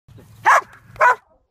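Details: A Belgian Malinois during frisbee play and training gives two sharp, loud barks about half a second apart, with a low rumble underneath.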